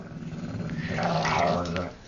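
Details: An old deaf Jack Russell Terrier, a pet indoors and displeased at being disturbed, gives a low continuous rumbling growl that swells and fades. A man says he will leave the dog alone just before, and a brief mid-pitched whine-like sound rises in the middle.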